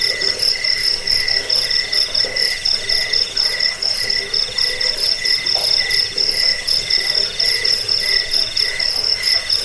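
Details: Chirping crickets in a track for rat repelling, bedtime and bird song tutoring; bright high shrill pulses stream continuously over a lower chirp repeated in short bursts about twice per second.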